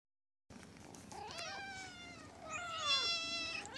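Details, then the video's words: A kitten gives two clear, drawn-out meows in quick succession. The first falls in pitch and the second is higher and longer. A steady low background hum sits underneath. "little cat meow meow"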